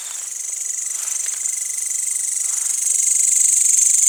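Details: Crickets at night in a village after sunset, with green grasshoppers nearby: a dense, very high continuous pulsing trill that grows steadily louder, plus a fainter steady lower whine.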